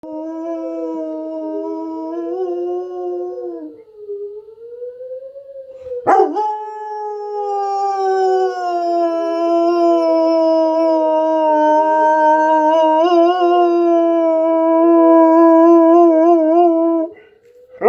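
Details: German Shepherd howling during a tornado siren drill: long, sustained, wavering howls that rise and fall over a steady droning siren tone, with a brief break near six seconds before the howling resumes louder.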